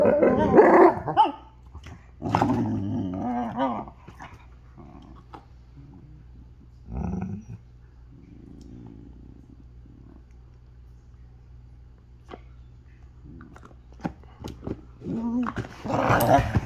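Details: Alaskan Malamutes Dutton and River vocalizing: opening howled barks and a warbling growl, then a long quieter stretch of soft grumbles and faint sounds, ending with another loud yodelling burst.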